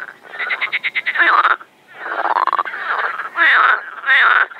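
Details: Frogs croaking at a sunlit overgrown pond in Shchelkovsky district, Russia, during spring mating, May 25, 2021; a fast string of ticking pulses leads into drawn-out raspy croaks and two loud final bursts.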